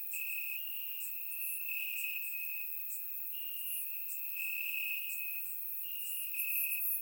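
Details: Many crickets calling from grass on a warm summer night in Bulgaria, a constant thin ringing trill broken into long segments, faint higher chirps scattered over it, calm and without wind or voices.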